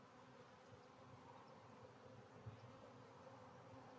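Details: Honey bee hive from a split, getting a new queen released from her cage, gives a steady low drone with a deeper rumble underneath and one soft bump near the middle.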